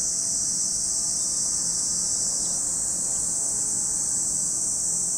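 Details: Massed cicada voices at Lake Kamo, Sado City, Niigata Prefecture, Japan form a flat, sizzling high-pitched wall of sound, steady from start to end, with a faint murmur underneath.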